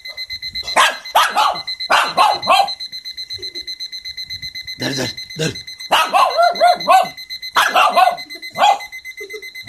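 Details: Shih Tzu barking at an alarm clock, clusters of two or three harsh barks separated by pauses, with the clock's continuous high pulsing beep and a person's voice briefly.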